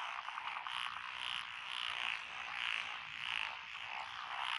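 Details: Rice-paddy frogs among lotus fields in Echizen City, Fukui, on June 12, 2021, calling in a crowded chorus; ratchet-like rattling croaks rise and fall in slow waves beneath faint high ticking.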